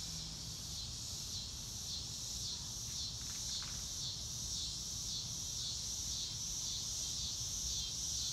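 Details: Crickets chirping outdoors in real time under a blue sky, with no music: a high, rapid and fairly regular pulsing trill, about two beats a second, over a low constant background hum.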